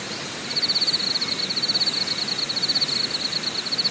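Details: Insects calling at Deokyudae Camping Site on Deogyusan Mountain, Deogyusan National Park, Korea: a steady high pulsing trill, rapid and even, running almost without break over a soft hiss of background noise.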